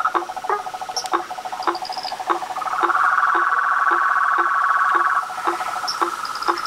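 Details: Nighttime chorus of frogs, toads and treefrogs at a pond beside a house, with regular knocking notes about three per second under a swelling continuous trill and scattered short high whistles.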